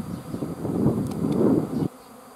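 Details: A bee swarm's loud, rough buzzing hum that grows stronger, then cuts off abruptly near the end, leaving quiet.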